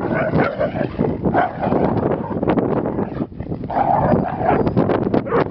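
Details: Pinscher named Bronx giving short, sharp barks in quick bursts. A continuous low rumble of distorted background noise runs underneath the whole recording.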